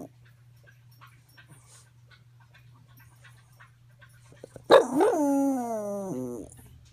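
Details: Dog on increased medication breaking a quiet, humming room with a sudden, rich, harmonic howl. It rises briefly and then slowly sags lower over nearly two seconds before fading out.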